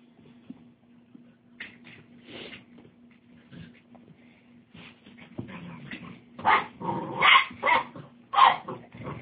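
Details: Tosa Inu puppies: scattered soft whimpers and rustling at first, then several sharp, bright yips and short barks bunched together toward the end, over a steady low background hum.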